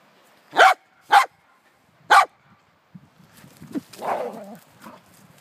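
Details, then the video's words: Corgi Wesley Von Toffee at play with his jolly ball horse toy gives three crisp barks spaced irregularly, then scuffling, panting and rustling noises as the game continues. "Crazy Corgi chases jolly ball horse toy"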